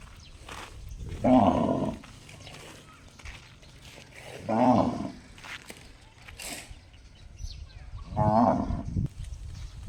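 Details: Cow making an odd gong-like call, repeated three times roughly every three to four seconds, each a short, rich, harmonic blast with a ringing tone, over a steady low rumbling background.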